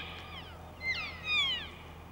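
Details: Elk (Cervus canadensis) in rutting season, a stag with his harem, gives short, high whistled calls that swoop up and then slide down in pitch.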